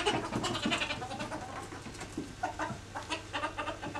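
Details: Two ferrets wrestling in an alligator roll as they try to dominate one another; quick clucking chuckles come in irregular bursts, several per second, over a steady low hum.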